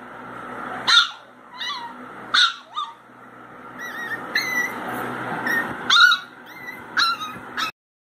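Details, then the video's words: Pinscher puppy whimpering: about six high, piercing cries with short quavering whines between them, spaced a second or so apart, against a low steady hum. "Cute puppy crying 💕| Pinscher dog |💕"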